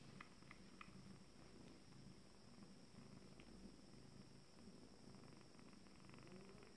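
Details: Abyssinian cat with its first litter at 26 days, calm again: a very soft, low, steady purring rumble with faint pulsing, under a hiss of background noise and a few quiet clicks.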